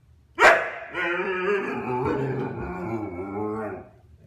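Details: Husky, one and a half years old, chattering to win the attention of his younger brother, who gives him the cold shoulder: a sharp yelp opening into a long, wavering, talking howl lasting about three seconds, indoors.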